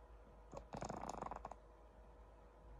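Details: A pug sleeping on its owner gives one brief, rattling snore, a throaty burst of quick pulses.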